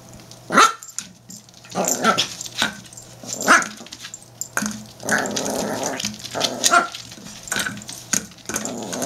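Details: Norfolk Terrier in a fight with a plastic bottle: short barks and rough growls come roughly every second or two, mixed with steady crackling and crunching of the bottle being bitten.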